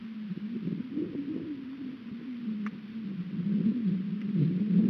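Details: An American bison named Chief, playing with a 125 lb mineral tub on a high-desert sagebrush ranch in eastern Oregon, gives a long, low, wavering moan that swells slightly louder toward the end, with a faint knock partway through.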